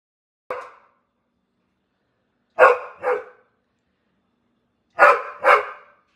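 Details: Female Pit Bull dog 'talking': short, hoarse, bark-like vocal bursts, first a single one, then two paired groups a few seconds apart, each a quick double woof-grumble with clean silence between.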